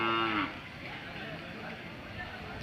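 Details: Hallikar cattle at the Sunday Jodugatte cattle fair market, Turuvekere taluk, Tumkur district, Karnataka; a single short moo with stacked harmonics lasting about half a second and dropping at its end, followed by steady crowd murmur.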